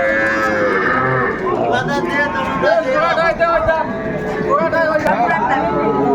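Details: Lowing from Sahiwal bull calves for sale at Ambari market, Bangladesh, 18 May 2024: short, wavering moos mixed among overlapping voices and general market noise.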